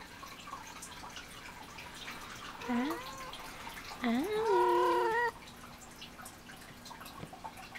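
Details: Alie, a pet cat playing with a toy and talking back, gives two meows: a short rising one, then a longer wavering meow lasting about a second, in an otherwise quiet room.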